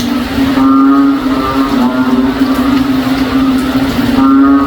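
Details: Noisy frogs in a backyard in the province on a rainy day, their calls likened to a cow; low moaning, harmonic calls swell and fade over a steady droning hum.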